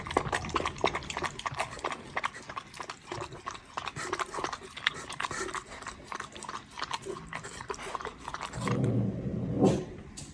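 A Pembroke Welsh Corgi puppy laps milk in quick, wet clicking strokes.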